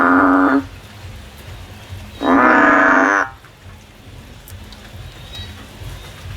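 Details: A frog climbing a tree looking for a way out: the tail of one nasal call, then a second loud, harsh, buzzy call about a second long, followed by quiet.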